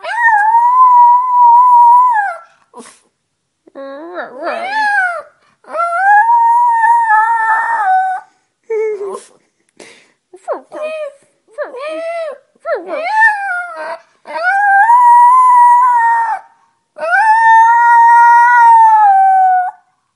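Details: Chihuahua named Boogie, billed as a talking dog, singing the blues in a series of drawn-out melodic howls, each held for one to two seconds, broken by short wavering yips and whines between the long notes.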